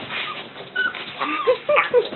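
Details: Young dog, sister to others in a litter, producing a series of short, high whimpers and squeaky whines, several rising and falling, between quiet pauses and light background rustling indoors.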